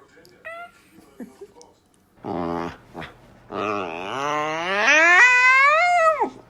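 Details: Corgi puppy yawning, with a short squeak and then two long voiced yawns that rise and fall in a whiny, stretched tone, the second lasting nearly three seconds and ending in a low fading squeal.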